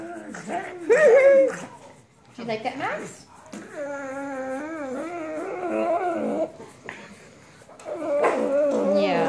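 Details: Male fawn pug vocalizing indoors while being petted and fussed over: drawn-out, wavering whiny moans with rising and falling pitch, coming in bursts separated by short pauses.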